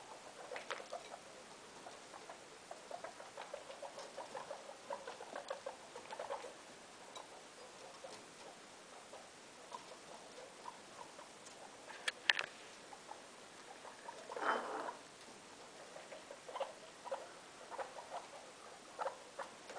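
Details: Guinea pig named Loeki, a mother kept indoors in a room with her three young: scattered short low pulsed chuts, soft and irregular, with one sharp click near the middle and a louder rustling burst shortly after.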